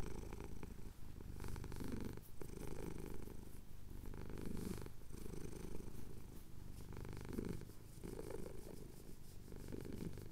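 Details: Steady rumbling purr of a male cat having his chin scratched as the sun rises over the Cotswolds, recorded on a Tascam DR-07X; pulses repeat roughly every two to three seconds with inhalation and exhalation.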